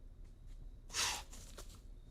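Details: A white-tailed deer gives a single sharp, breathy blow, a forceful alarm snort warning other animals that a predator or hunter may be nearby.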